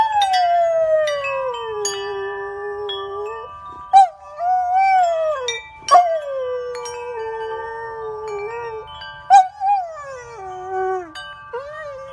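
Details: Golden retriever howling along to the tune of wind chimes, long wavering tones gliding downward, repeated in several phrases between sharp ringing chime strikes and sustained chime notes.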